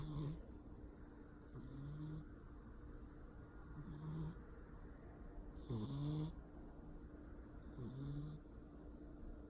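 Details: Persian cat asleep indoors, snoring loudly: a low rasping breath roughly every two seconds, each paired with a hissing exhale, over a steady faint background hum.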